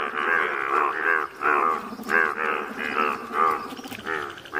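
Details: Yellow Indian bullfrogs in nature at Malkangiri, Odisha, India, giving loud groaning, moo-like croaks in short bursts, some separated by brief gaps, with several frogs overlapping.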